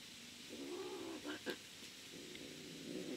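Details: Two domestic cats, Ganja and Smulte, a mother and her son; a soft, low, drawn-out murmuring call lasting about a second, a short gap with faint clicks, then a second similar low call running to the end, quiet throughout.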